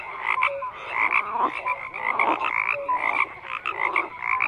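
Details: Dense frog chorus: numerous overlapping croaks, clicky bursts and brief whistled notes, continuous with small swells in loudness.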